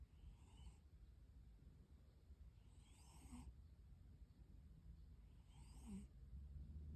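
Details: Snoring of a rescued cat in deep sleep, a quiet low rasp swelling with each breath, roughly two to three seconds apart, over a constant background hum and a thin high-pitched tone.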